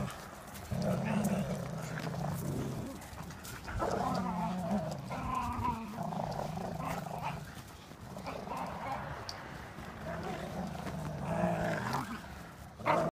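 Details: Two terriers, Airedale Terrier Lenny and Welsh Terrier Martin, playing tug of war, with deep rumbling growls that run in long stretches and swell and fade across the recording, ending with a short sharp sound.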